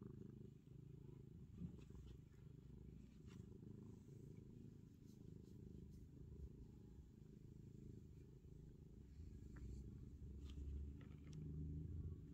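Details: Black cat Ronnie purrs as he is stroked, a continuous deep throbbing rumble of quick even pulses that grows slightly stronger toward the end, with occasional faint ticks and rustles over it.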